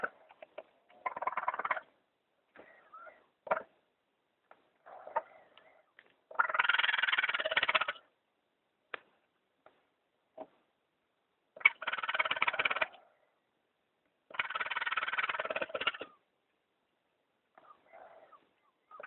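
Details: Baby raccoon kits left by their mother under a bathtub, crying after 48 hours alone before removal for rehabilitation in Pleasant Hill, California; raspy, chittering bursts of varying length with short gaps, some clicks and scrapes between.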